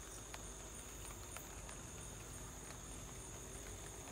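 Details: Cricket chorus at home in light rain: an unbroken high-pitched ringing drone holds level throughout, while sparse rain taps and faint low rumble sit underneath.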